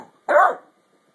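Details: Single high, slightly rising yap from Mildred, a ten-week-old basset hound puppy demanding her bone from her older sister Beatrix, brief and clear against a quiet room.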